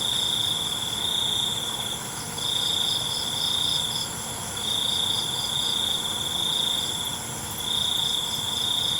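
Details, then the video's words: Crickets calling at night: sustained high trills of a second or more alternate with short pauses, steady and shrill, while a background insect hiss continues throughout. "ALUNAN CENGKERIK MALAM"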